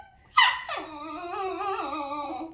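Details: Female basenji at home talking back while getting ready for a walk: a sharp high yelp, then a long wavering, yodel-like howl sliding up and down for about two seconds. A person speaks in Russian afterwards.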